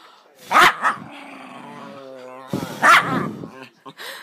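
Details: Pet dog making weird noises: drawn-out, wavering whining tones held for about two seconds between two loud human exclamations, with further muffled whimpers near the end.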